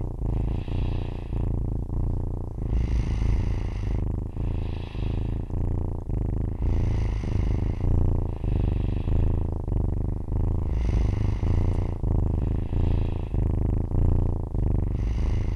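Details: A four-week-old Siamese foster kitten purrs in a steady low rumble, with soft snoring breaths about every two seconds, as she falls asleep snuggled up to a girl's face.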